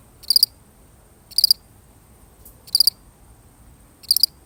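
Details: Solitary cricket giving four high, pulsed chirps spaced more than a second apart, the pauses quiet apart from soft background hiss.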